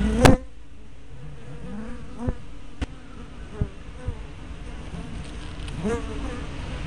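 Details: Hive-entrance honey bees captured by a fisheye spy cam on 24 May 2012; soft background hum as single bees zoom close by in curving, pitch-sliding buzzes, with a loud knock at the start and several light taps.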